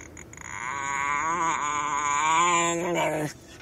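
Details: Diego, a Chihuahua described as mean, gives one sustained harmonic growl-whine of about three seconds. It swells slightly before cutting off abruptly. It follows someone urging another person to touch him.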